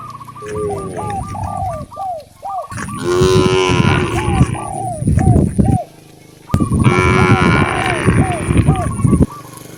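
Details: Cows wandering natural roads looking for fresh grass; loud, long harmonic moos come in two big bursts, with quick repeated short arched notes chattering between them and a thin high tone running along.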